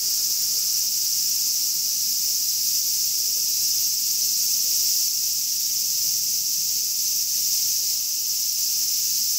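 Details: Large brown cicadas singing in summer, a dense, steady, sizzling drone held without a break throughout, bright and high-pitched, with no other sounds standing out.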